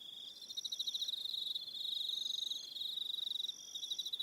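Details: Aroha Island crickets, New Zealand, heard at evening: rapid pulsing trills at a high pitch, several insects overlapping, with brief higher streaks of chirping and rhythmic swells in loudness.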